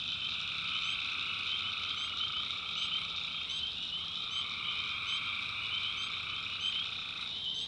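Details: Many tree frogs calling together at night in a North Carolina swamp, an unbroken high droning trill layered in bands, with quick chirps sprinkled above and the chorus shifting near the end.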